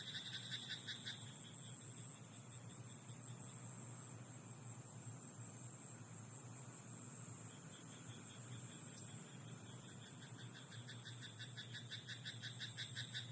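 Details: Rice paddy frog at night giving bursts of quick, clicking croaks: a short rattle at the start, a long quiet stretch, then a renewed even pulse series at the end, with a continuous low hum beneath.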